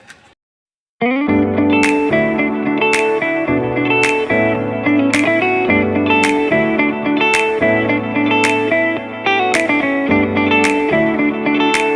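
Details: After a brief silent gap, plucked guitar music with a slide-guitar tone plays, strummed in regular repeating bars.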